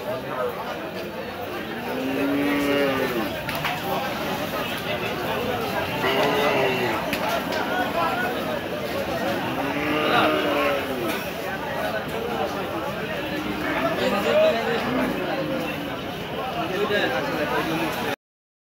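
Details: Cattle during unloading at Hazratpur cattle market, a row of red cattle among them: several arching, low moos with rich overtones rise and fall at about 2.5, 6, 10 and 14.5 seconds over steady crowd chatter and voices bargaining.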